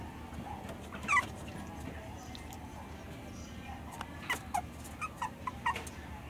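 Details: A male red-coated Toy Poodle, born 6 May 2017, gives short, high-pitched yips: one early, then a quick run of several.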